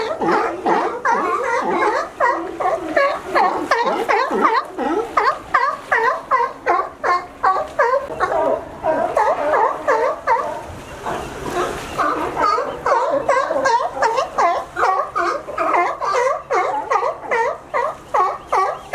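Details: Sea lions in California climbing a fence to reach a sunny dock where they rest; a dense chorus of hoarse, harmonic barks, many animals calling over one another in rapid, uneven bursts throughout.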